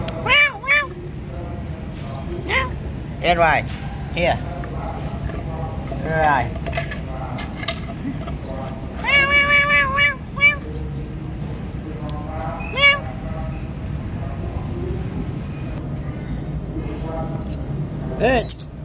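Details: Domestic cat meowing while being given mixed rice; repeated short, arching meows at irregular intervals, some in quick pairs, mixed with a person talking in the background.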